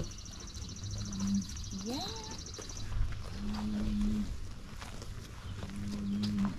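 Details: Highland cattle in a farm herd, excited at being fed fresh grass after a spell on hay; a calf runs about. Three steady low moos, each about a second long, with a rising squeal and faint distant birdsong in between.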